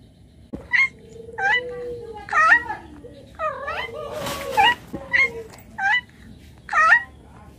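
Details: Domestic cat meowing in short, bright calls repeated about once a second, roughly eight in a row, each quick and slightly rising then falling; a faint steady low hum and a brief noisy burst midway.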